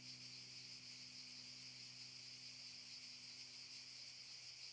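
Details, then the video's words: Cicadas in Šuma Musapstan park, Zadar, Croatia, in August 2014, buzz in a steady, high, shimmering drone that never pauses. "Cicadas chirping ★ Zadar"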